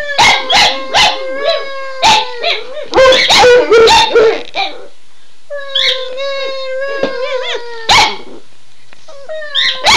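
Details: Two excited pet dogs howl together in response to their owner calling "Run Guy run"; long, wavering harmonic howls overlap, with loud barks punctuating them and a short pause midway.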